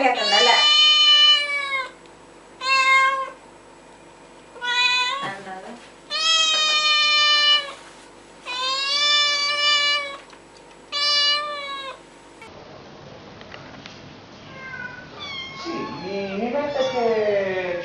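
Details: Kitten meowing repeatedly: a series of loud, harmonic meows about a second long with short gaps, followed by a cut to softer wavering cries mixed with voices.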